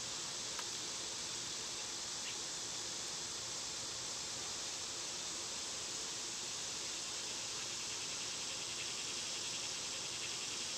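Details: Summer cicadas hold a high buzzing drone over a broad rushing background noise, with one sharp click near the start.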